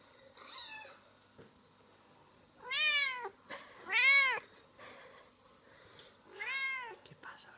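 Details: Indoor cat meowing while hearing other cats played on a computer: a soft short meow, then three loud, harmonic arched meows, each rising then falling, spaced about two seconds apart.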